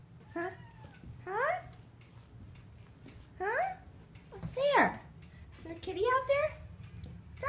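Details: Indoor domestic cat, usually silent, whining repeatedly in the morning after blue jays were seen on a deck; a series of rising-falling harmonic meows roughly every second, with a low hum and faint background voices.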